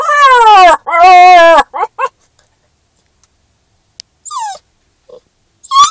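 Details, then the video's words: Max, a Newfoundland and Labrador mix puppy, howls in a car in his first week with his family because he does not like being separated from them. Two long, loud, wavering howls are followed by short broken cries and a final rising yelp. "Newfoundland Lab Puppy Howling in Car"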